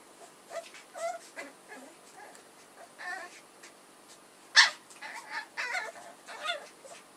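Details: Litter of puppies from Edhel and Berry squealing and whining in quick overlapping bursts, thin wavering squeaks stacked close together, one sharp loud yelp near the middle, a low background hiss throughout.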